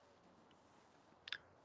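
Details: Several dark bush-crickets (katydids) chirp from bushes in a wood at night; one gives a single short, scratchy chirp against a quiet night background.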